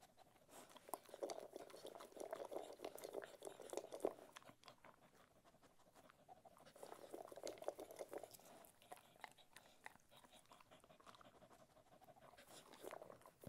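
A Cocker Spaniel eats noisily, with irregular crunching and chewing bursts and soft wet smacking.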